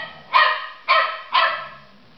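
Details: Labrador Retriever barking: a 3-month-old puppy living with an 11-year-old dog in a love-hate relationship. Three short, harsh barks come about half a second apart, each sharp at onset and then trailing off, in a quiet room.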